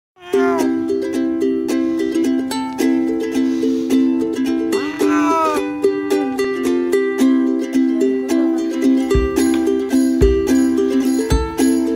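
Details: Plucked ukulele chords strummed in a steady rhythm fill the recording, with no animal sound.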